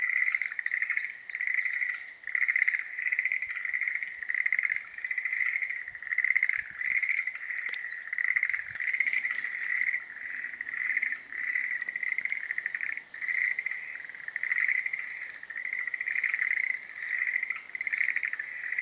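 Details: Schlegel's green tree frogs in breeding season: a steady, dense run of high pulsed trilling croaks that overlap continuously with no pauses, with a few faint clicks in the background.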